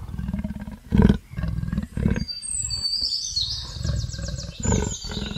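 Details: Rough, low leopard roars come as separate growling pulses roughly every second, the loudest early on, while bird chirps and trills sound clearly in the background.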